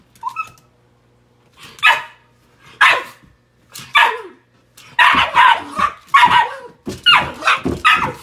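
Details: A Shiba Inu objects with harsh, hoarse, yelping barks, each about half a second, in quick bursts growing denser and more insistent, protesting someone using a step stool without wearing shoes.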